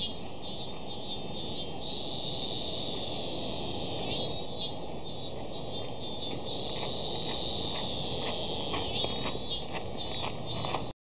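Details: A cicada at Meiji Temple in Tokyo, Japan, sings in high, shrill buzzes, switching between long steady drones and quick pulsing bursts.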